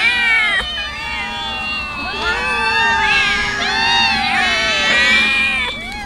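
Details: Several hungry street cats meow insistently while tuna fish is handed out; overlapping arched cries swell and fade, with a faint low hum running underneath.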